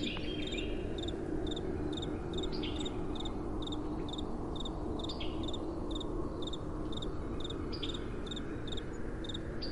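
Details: Crickets at night with a gentle wind blowing: short, bright chirps repeated about twice a second, steady and even, over a strong low rushing wind.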